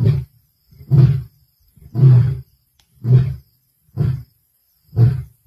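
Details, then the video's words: Adult male lion calling on 1 February 2024, producing six low, rumbling grunts spaced about one second apart, each a short heavy burst with a rough throaty texture, in an otherwise quiet setting. "Lion Roaring"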